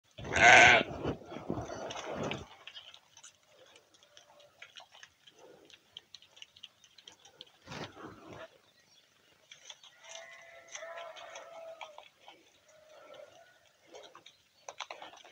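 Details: Sheep in a barn: one loud, wavering bleat opens, lasting about two seconds, followed by quiet rustling, a brief knock and faint distant bleating.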